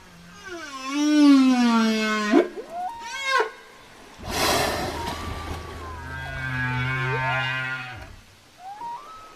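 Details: Communicating whale producing a long, harmonic moan that sinks and then sweeps sharply upward, a brief burst of rough, broadband noise, then a sustained mid-pitched tone with wavering higher overtones.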